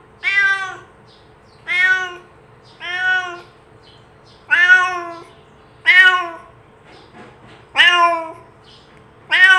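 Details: Domestic cat's meow used to call other cats over: a run of seven or eight clear, rich meows at uneven intervals, a couple fainter, each slightly falling at the end, with quiet background hum.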